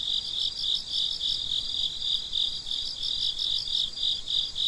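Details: Crickets at midnight producing a dense high-pitched trill, with a regular pulsing chirp on top, loudness swelling and dipping slightly in a steady rhythm; nothing else audible.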